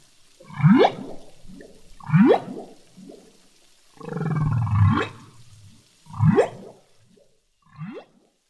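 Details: Underwater humpback whale song from the Revillagigedo Archipelago Marine Reserve, where the song is continuously changing: quick rising whoops repeated roughly every one and a half seconds, broken midway by a deep rumbling groan, with a soft watery background.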